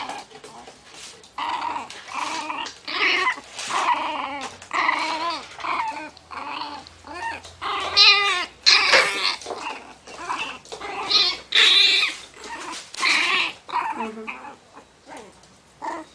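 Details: Miniature Pinscher in a fury over its box: continuous run of warbling, trembling snarls and whiny growls, rising and falling in pitch, barely pausing across the stretch.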